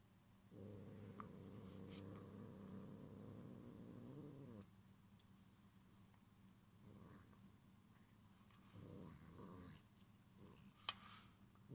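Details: Gyopi, a house cat, growls to warn Ebiten-kun away from its string toy Cotton-sensei: a deep, continuous rumbling growl lasting about four seconds, then quieter rustling, shorter low growls and a sharp knock.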